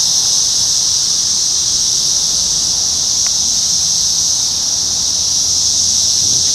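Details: Periodical cicadas of the 17-year Brood X emergence in a McDonald's parking lot in Sharonville, Ohio, on an evening in June 2021. A steady, high, hissing drone holds without a break, with a brief click partway through.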